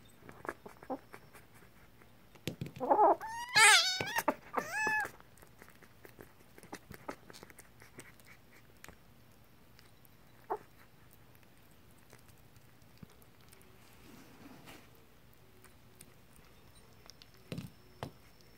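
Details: Kitten that has just woken up and is eating, losing its temper: a tight burst of loud, wavering, harmonic yowls and meows lasting about two seconds, then quiet chewing clicks and one short cry near the end, indoors.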